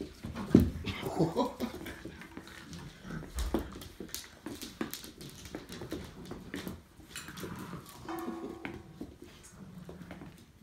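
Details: Labrador Retriever puppies, six and eight weeks old, at the Kloster Marienthal breeding kennel, indoors; brief high rising whines early on and a drawn-out harmonic whine near the end, amid constant scratching, pattering paws and thumps.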